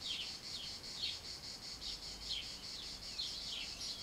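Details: Cicadas in summer sing a high, shrill buzz that pulses rapidly and steadily without pause.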